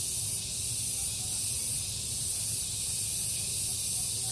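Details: Garden cicadas at morning, calling in turn and all at once, make an unbroken shrill, hiss-like whine that rises and falls slightly in regular waves above a low murmur.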